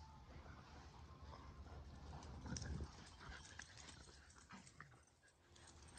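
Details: Kumo the Keeshond and Sully the Boston Terrier playing tug and holding a standoff; a low, rough growl swells to a peak about halfway through, then fades, over a constant low rumble of background noise.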